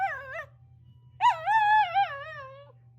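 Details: Household dogs, toy poodle Kokomi (9) and Chiwamaru Momoka (5), howling in unison with a passing ambulance siren: a brief wavering howl, a pause, then a longer, sustained howl that slowly falls in pitch, over a low steady hum.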